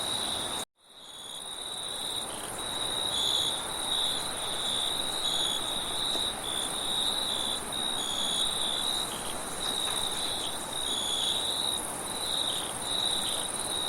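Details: At night, a dense chorus of crickets keeps up a continuous, high-pitched trilling with brief ringing bursts layered on top, over a broad hiss of wind.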